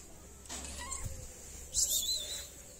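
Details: A hungry stray cat in a Moroccan city meows for food and attention, two short high meows, the second louder and slightly rising, against a low steady hum.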